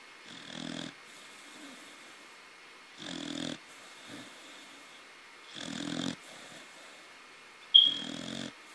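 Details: Sleeping baby corgi called Taro giving four raspy, buzzing snores at steady intervals of about two and a half seconds, with a brief sharp click near the end.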